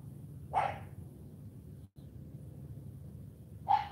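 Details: Morning training session with CHARME, a female AKC Cane Corso puppy: two single short barks roughly three seconds apart, separated by quiet low background hum.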